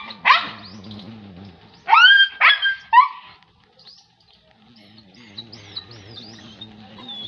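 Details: German Shepherd puppy giving high, sharp yelping barks: one at the start, then a quick burst of three about two seconds later, followed by quieter stretches with faint thin chirps and a low background hum.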